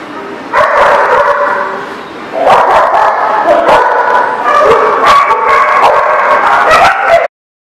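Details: Several dogs bark at once in a dog facility, a continuous chorus of overlapping yappy barks after a brief quieter start, ending abruptly.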